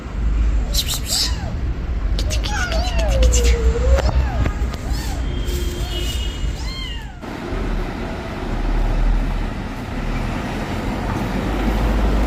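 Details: A mother cat with newborn kittens, asking for help, gives a drawn-out, falling and rising meow, plus a few short thinner cries, before steady loud rushing noise covers the second half.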